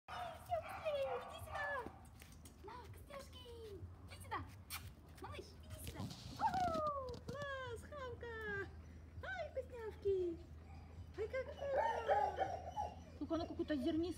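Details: Male Miniature Pinscher puppy, Filip Fleetwod Royal Dignity of Kennel Royal Dignity in Ukraine, giving a series of high, sliding whimpers and whines, several falling in pitch. People talk throughout, with a steady low hum beneath.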